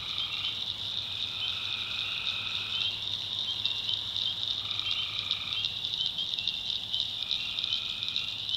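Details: Tree frogs at night in a North Carolina backwoods swamp: a bright, pulsing high-pitched chorus with three drawn-out steady notes of one to two seconds, evenly spaced, above a quiet continuous hum.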